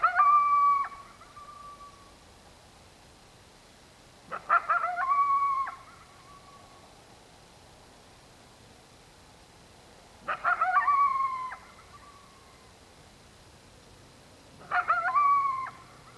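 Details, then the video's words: A coyote after dark gives short yelping barks that break into brief, wavering howls, repeated every few seconds. "One-Off: Coyote Sounds at Dark"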